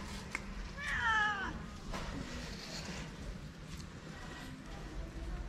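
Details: Stray calico cat living on the street in Morocco, one of several gathered around people, meowing for love and food; a single clear, drawn-out, slightly wavering meow lasting under a second, then low background rumble and faint scuffling.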